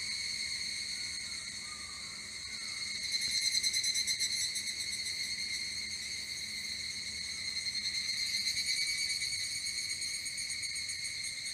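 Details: Evening cicada singing: a steady, ringing, high metallic drone that keeps on without a break, pulsing quickly and swelling slightly louder twice. No other sounds are clear.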